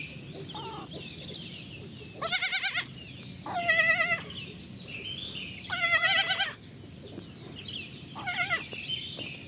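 Young goats give four high, quavering bleats, each lasting about half a second.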